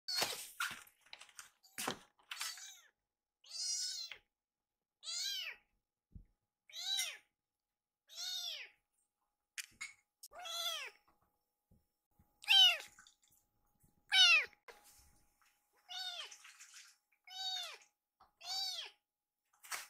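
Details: Rescued baby kitten named Fumio, indoors after gulping down milk and begging for a second helping; high arched meows repeated about every one to two seconds, with soft thumps early on.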